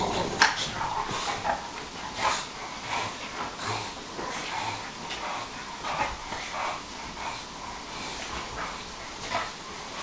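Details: Play fight on a couch between Bob and Alfie, among a Bulldog, a Sarplaninac and a Staffordshire bull terrier. Short rough growly bursts and yips come every second or so over constant scuffling.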